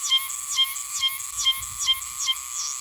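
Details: Meimuna oshimensis, the Oshima cicada of Okinawa's Yanbaru autumn, calls in quick ringing phrases, each sliding down and snapping off with a bright click, about every half second, over a constant high hiss.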